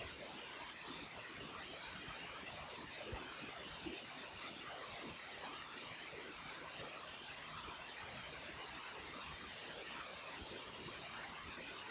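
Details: Only a dense, even hiss with faint crackles is heard, and no animal voice.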